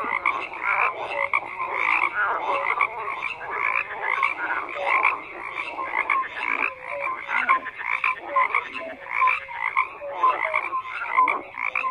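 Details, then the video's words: A dense chorus of many frogs croaking at once, with overlapping rattling croaks and short tonal notes layered continuously, with no other sounds heard. "FROGS CROAKING"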